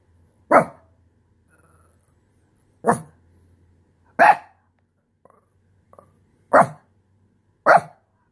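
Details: Frustrated Shih Tzu protesting the loss of its spot on the couch: five loud, abrupt barks at uneven intervals of one to two seconds, with a faint low hum in the background.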